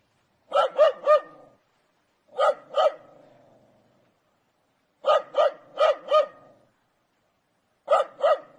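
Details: Angry barking in groups of three or four sharp barks, separated by silences of one to two seconds; the barks are quick, tonal and evenly loud, with a short trailing growl after one group.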